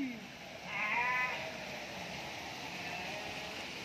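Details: Garut sheep. A Garut sheep lets out a brief, tremulous bleat, its voice wobbling as it rises and falls. Human voices murmur faintly before and after the call.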